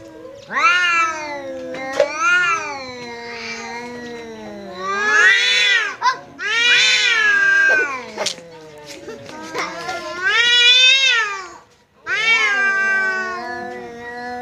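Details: Pet cat standing its ground against a visiting cat, trading yowls: about six loud arching wails of one to two seconds each, separated by short pauses, over a steady low growling moan.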